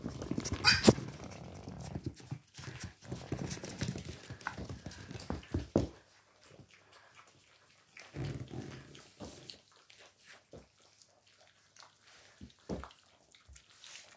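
Yorkshire Terrier puppies yap and growl in short, scrappy bursts while play-fighting.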